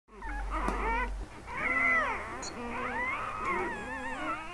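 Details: Thirteen newborn Mastiff puppies just delivered at a veterinary clinic, freed from their placentas and being warmed and gathered into a box; overlapping wavering squeals and mewing cries, several pups calling at once, with a low hum underneath.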